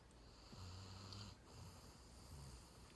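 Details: Sleeping dog snoring, described as a rumbling 'deureureong', with one low, rough snore near the middle of the clip, quiet overall against a faint hiss of room noise.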